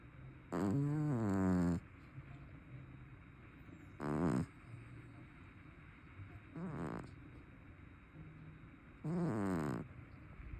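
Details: A chubby brown tabby cat snores loudly, each rasping, buzzy inhale lasting about a second, with three to four snores spaced a few seconds apart against quiet room hiss.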